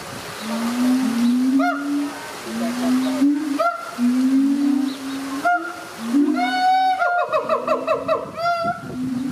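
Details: A captive Siamang family at a zoo in Tampa, Florida, an adult pair duetting, gives deep, rising booms over and over, broken by sharp, ringing barks; the throat sacs inflate to enhance the song, which strengthens the pair bond.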